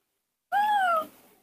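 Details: Young monkey in human care, calling for its absent father with a single clear, melodious whistle lasting about half a second. The pitch rises slightly, then slides gently down, in otherwise quiet surroundings.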